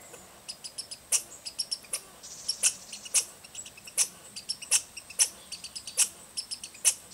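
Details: American red squirrel (Tamiasciurus hudsonicus) scolding chatter of sharp, high, clicking chips in an uneven stuttering series, with peculiar bass undertones; Rydell NWR, Minnesota, 10 August 2010.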